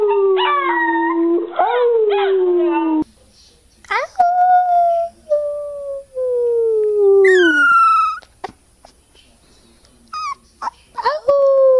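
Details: Puppies howling in a cute compilation: long tonal wails sliding slowly downward, several separate drawn-out howls with short breaks between, one rising sharply before falling, with brief pauses of near silence.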